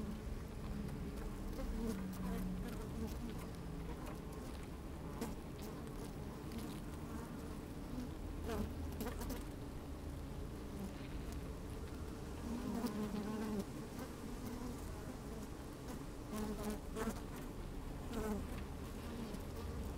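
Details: Honey bees at work in an open hive, recorded with the microphone inside on a fine, sunny day; low steady humming broken by short whining buzzes and occasional crisp ticks.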